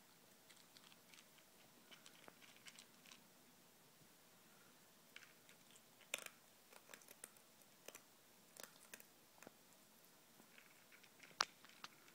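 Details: Pet ferret Izzy chows down on ZuPreem food, FerretVite and chicken jerky inside a small room. Scattered dry crunches arrive in uneven bursts, with quiet gaps and a few sharper cracks toward the end.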